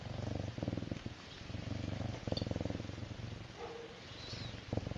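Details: Serval purring while feeling good: a low, steady rumbling purr in pulsing bursts, with brief pauses between breaths and a faint higher sound near the end.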